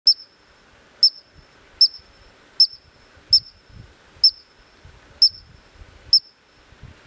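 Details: A Columbian ground squirrel perched on a rock in Glacier National Park, Montana, gives piercing, very high, short clipped chirps, used to communicate with other squirrels, at about one per second against a quiet outdoor background.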